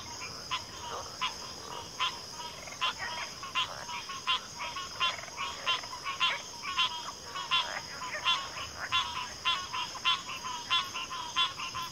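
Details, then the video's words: Dense frog chorus from backwater, many short rasping clicks and trilled croaks repeating steadily throughout, frogs overlapping one another above an unbroken high hum. "Backwater Chorus, & Frog Chorus"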